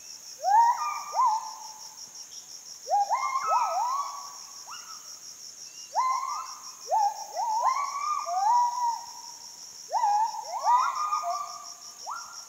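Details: Kelempiau, or Müller's gibbons, calling from Borneo rainforest near Sriwangi Village, Kapuas Hulu, after leaving the walker's view; overlapping upswept hoots in rapid clusters, several voices layered, with constant cicada-like buzzing overhead.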